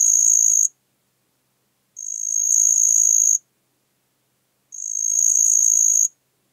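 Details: Song of a marsh cricket at Puntigam, Austria, 4 June 2022. Shrill, high-pitched buzzing trills last about 1.4 seconds each and swell slightly at the start. They come in quick succession with short silent gaps.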